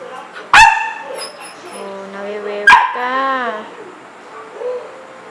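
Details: Indoor pet dog wanting to go out into the rain: a sharp bark, then a wavering, drawn-out whine, a second bark, and another falling, whimpering whine before fading quiet.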